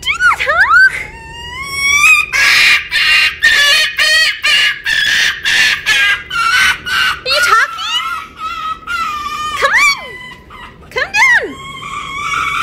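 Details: Winter, a female red fox rescued in November 2019 from a fur farm where she spent her first five months, still learning to trust. She gives high, rising and falling whines, then a run of harsh, rhythmic screeching bursts, then more sweeping whines.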